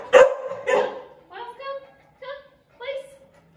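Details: Miles, a 5-month-old Golden Retriever at a dog-training session in Atlanta, gives two sharp barks, then three drawn-out, tonal, yelping whines spaced about half a second apart, each fading quickly.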